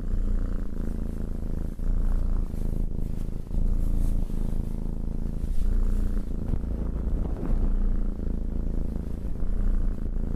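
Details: Pet cat purring as it is stroked: a deep, even rumble that swells and eases with each breath, roughly every two seconds, with faint rubbing and rustling noises over it.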